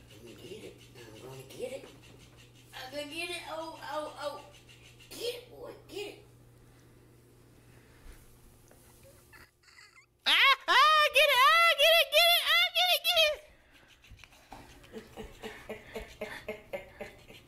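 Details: Bear, a German Shepherd, plays indoors with a floppy fish toy; after soft grumbling sounds comes a loud three-second burst of wavering, whining howls rising and falling in quick succession, followed by quieter rhythmic rustling and some human speech.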